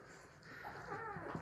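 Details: Labrador Retriever puppy, one of a litter of six, waking in the morning beside its mother on a drizzly day; a soft, thin whine arches up and slides down twice near the end over quiet room hiss.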